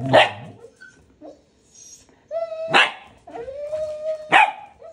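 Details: Puppy Balto insisting that Max, a husky, play with him and his toy chicken; sharp barks punctuate long, steady, even-pitched whining moans, with two loud yelps spaced about two seconds apart.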